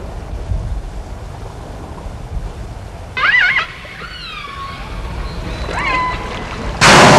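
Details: Pilot whales calling: a few short tonal whistles with stacked harmonics, one rising sharply near three seconds, then downward-curving and rising sweeps, over low rumbling background noise, ending in a loud broadband burst.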